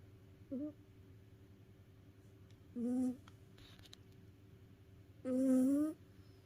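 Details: House cat snoring while asleep, tired out after play: three whistling, tonal breaths, each slightly rising, at uneven gaps over several seconds. The last is the longest and loudest, over a low steady hum.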